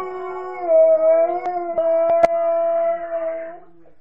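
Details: Alaskan Malamute named Nukka, a female pet, howling as if missing her mum: one long steady tonal howl with rich harmonics, level and slightly wavering, lasting about three seconds, with a few sharp clicks in the background.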